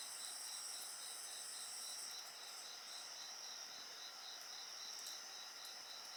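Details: A night-insect chorus beside a bonfire. Several shrill continuous trills are stacked together, with a quickly pulsing chirp line. Brief clicks and crackles of the fire appear now and then, and the chorus eases slightly midway.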